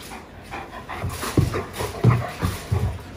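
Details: Great Pyrenees dogs, female RunRun and male Alain, at play as RunRun mounts Alain to invite him; low huffing grunts and panting bursts repeat about every half second.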